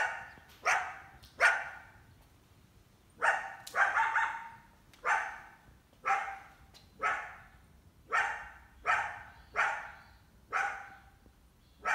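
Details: Coyote mother with at least one big pup in summer, trying to hunt a house cat kept indoors; clipped barks in irregular groups, then an even run of barks about one per second.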